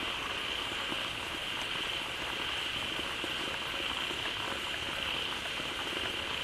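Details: Frogs crowd into a pond newly fed by falling water and call loudly at once, filling the pond with sound: continuous shimmering drone, a bright sustained tone on top, and fine bubbling crackles throughout.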